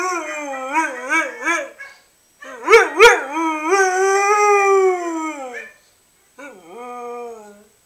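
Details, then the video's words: Three-year-old family pet Siberian Husky Doris howling in reply, a series of short wavering yodel-like notes, then a longer falling howl of about three seconds, a pause, and a shorter dipping howl. "Siberian Husky "Doris" Howling reply..."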